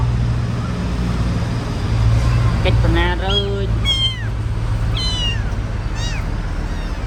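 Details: Pet kittens, grown big and able to walk, give high, thin mews that slide downward, about one each second over several seconds, alongside human speech and a low engine hum.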